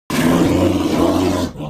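An American black bear lets out a low, throaty growl with a harsh, rumbling tone. The sound starts abruptly, stays strong and steady for more than a second, then cuts off.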